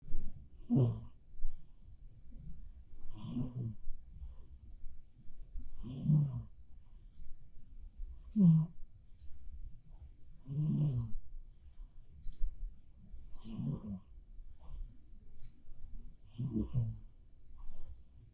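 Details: Black cat Bapuri asleep and snoring indoors, a real recording: seven low, rasping snores, each a short throaty burst arriving roughly every two and a half seconds, with quiet breathing between them.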